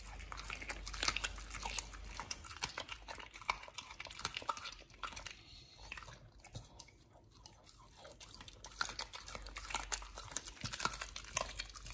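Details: Quiet indoor crunching, biting and wet chewing of raw food fill the recording, with no calls or barks heard.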